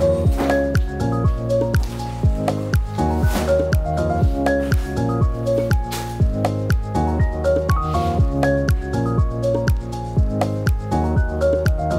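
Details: Rhythmic electronic music with a regular beat and squishy, dripping effects; no animal calls.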